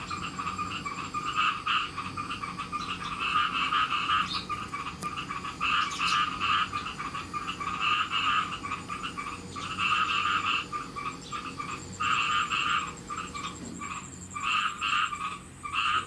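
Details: Farmed khiat mo frogs in Thailand, small and large together, calling before rain: rough pulsed croaks in overlapping clusters, briefly pausing and resuming, with a faint high whine and occasional clicks.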